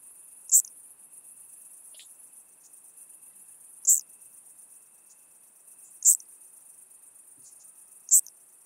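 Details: Chabrier's marbled bush-cricket recorded at Arzo, Switzerland, on 4 August 2023: four very high, short, dry ticks spaced two to three seconds apart over a steady high hiss.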